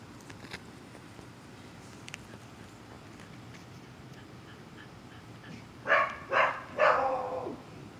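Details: Scared German Shepherd at a dog kennel in Liberty County, Georgia, sniffing during a find-it game. After a quiet stretch of faint ticks, it gives three loud, harsh barks in quick succession near the end.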